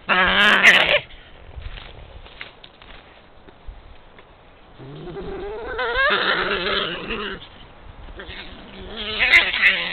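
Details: Quarrel between badgers recorded 11 March 2022 in Puszcza Zielonka forest, Poland: a sharp screaming burst, then a quiet pause, then wavering, rising and falling squeals around the middle and a final harsh shriek.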